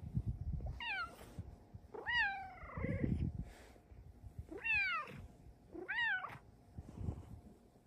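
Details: Luxe, a pet female cat, gives four clear, arching meows, each rising then falling in pitch, spaced about one to two seconds apart. The second meow is longer and drawn out. Faint low household rumble sits in the background.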